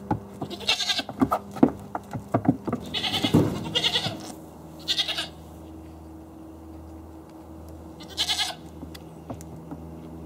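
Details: Dad goat asserting himself as top goat and bullying, with short harsh bleats in bursts near the start, around three to four seconds, at five seconds and again near eight seconds, separated by quieter stretches with faint clattering and steady background hum.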